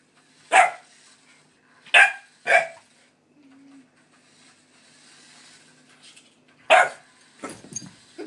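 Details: A pit bull puppy indoors runs from and barks at a light-up remote control toy car, giving short, sharp, high barks in a loose series with quiet gaps.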